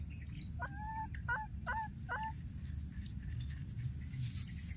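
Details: Baby wild monkey that lost its playmate, calling repeatedly: four short, clear tonal cries with bright overtones in quick succession, each dipping then levelling, over a steady low rumble.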